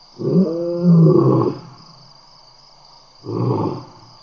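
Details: Wild lions at Tembe in the evening in April, one of seven playing around a camera microphone: a low harmonic growl lasting over a second, then a shorter rough grunt after a pause, over a constant electrical hum.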